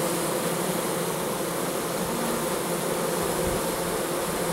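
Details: A close, dense, continuous drone from many honey bees at a hive entrance during the September 2014 goldenrod flow. The weather is perfect and foragers keep bringing in nectar, with no other clear sounds.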